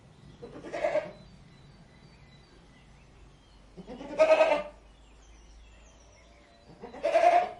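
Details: Domestic goat bleating: three loud, nasal, quavering 'maa' calls, each under a second long, spaced roughly three seconds apart over a quiet background.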